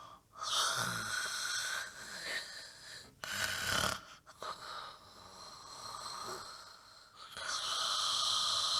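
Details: Dog snoring in deep sleep, loud near the microphone: wheezy whistled snores rising and falling, with a couple of short snorting bursts in the middle and a long steady whistling snore to finish.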